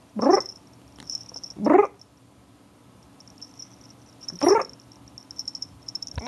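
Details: Domestic cat reacting to a noise it has always hated, letting out three short, harsh meow-like cries spaced a second or more apart over a steady high-pitched electronic whine.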